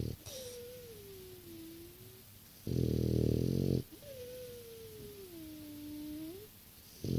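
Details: Six-year-old French Bulldog asleep indoors, snoring: a loud, rough, rattling inhale lasting about a second, separated by soft, whistling nasal exhales that glide slowly downward, with the cycle repeating every few seconds.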